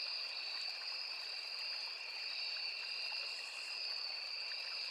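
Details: Forest crickets near a small river keep up an unbroken shrill drone at two high pitches, holding level for the whole stretch, with flowing stream water rushing beneath.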